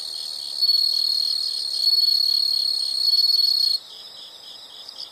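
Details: Insects produce a loud, unbroken shrill trill with slight swells in volume for nearly four seconds, then it cuts off, leaving quieter, evenly pulsed high chirps.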